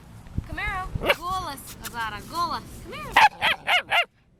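A German Shepherd gives high, arching yelps, then a quick run of four sharp barks.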